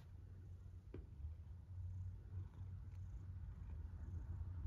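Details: Loud, continuous low rumble of a snoring cat with a gentle rhythmic pulse, one faint tap early on and otherwise quiet surroundings.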